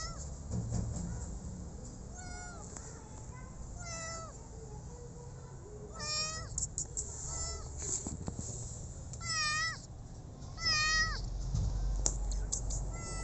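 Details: Rescued street kitten meowing in a series of clear, wavering, rising-then-falling mews, some drawn out, roughly one every second or two, over steady low background rumble.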